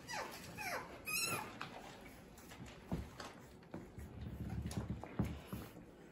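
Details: Playing French Bulldog puppies give several quick, high, falling whines and squeals early on, followed by thumps, scuffles and soft grunts as they tumble about indoors.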